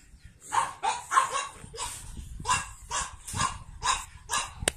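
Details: A pug born 9 April 2017 gives a run of short, sharp yapping barks, roughly two or three each second: Pug.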